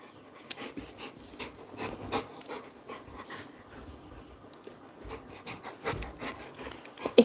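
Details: Labrador Retriever called Coco, a pet dog, panting in quick, breathy, rhythmic bursts, several per second, with soft household background noise.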